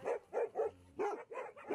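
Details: Alaskan Malamute at the Liu Li small animal rescue station in Harbin, China, sings to welcome a visitor: short, mid-pitched yelping bursts repeat about every third of a second, with a brief pause midway.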